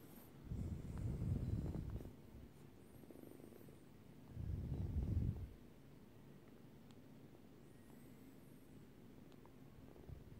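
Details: Short-haired Turkish Angora kitten purring in two low, rumbling bursts, each lasting about a second and a half and separated by a quiet pause, with faint background hiss between them.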